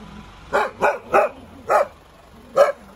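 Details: Dog barking: five short, sharp barks, three in quick succession, then two more spaced about a second apart, over quiet background.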